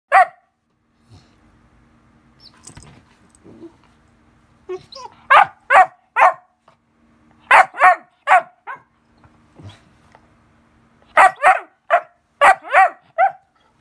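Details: A 74-day-old Weimaraner puppy gives sharp, high, loud barks for no apparent reason, in quick bursts of three or four with short pauses between.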